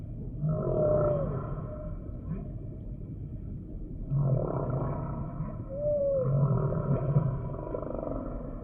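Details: Humpback whale song phrases: short whistled upsweeps that arc and drop, separated by gaps, with low grunting pulses beneath and a constant deep ocean hum.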